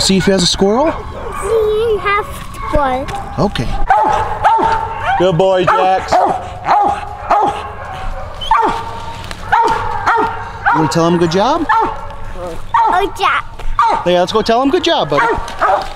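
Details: Coon hunting dogs, a mountain cur named Jax and a walker female named Cece, out on a hunt with a family: loud, harmonic barks and drawn-out bawls come again and again, with people talking over and between them.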